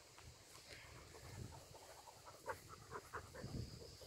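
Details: English Springer Spaniel puppies from Tango's litter, outdoors: soft panting with short squeaky whimpers clustered in the second half, over a low rumbling background.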